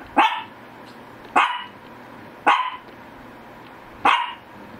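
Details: Shih Tzu GGung barks four times, one sharp bark about every 1.3 seconds. Each bark is short and bright, and a quiet hum fills the pauses between them.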